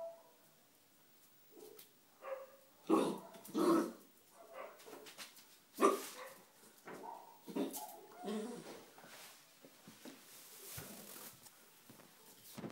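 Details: Three-month-old Bull Terrier puppy at play with a rock, giving a series of short uneven yaps and grumbling growls indoors, with scraping noises between them.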